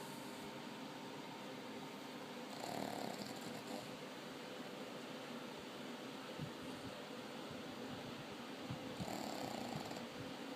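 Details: Sleeping pug Bili in Haifa, Israel, gives two raspy snores several seconds apart, each a short noisy rush of breath, with soft hiss and faint rustling between them.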